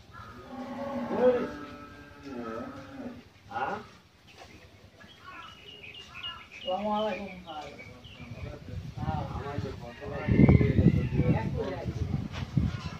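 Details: Pregnant Friesian cow, nine months along with her second calf and raised by a household in Pabna, Bangladesh, gives one long, low, droning moo near the start. Afterwards people talk and a brief bird chirp sounds.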